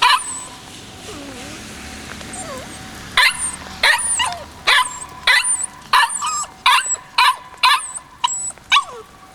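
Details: Young white male Kishu dog, 56 days old and born 17 January 2020, recorded 14 March 2020; quiet whimpering squeaks open, then a rapid run of about eleven sharp barks spaced under a second apart.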